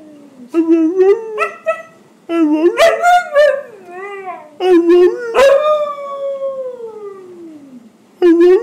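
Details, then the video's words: Buckles the husky chatters at his owner about his day inside the house: quick bursts of rising, wavering yodels run into one long, slowly falling howl lasting about three seconds, then a fresh outburst at the close. "Howling Husky"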